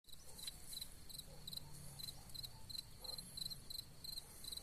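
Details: A cicada sings a steady, high buzzing trill with faint pulsing over a low background rumble, among wild gladiolus.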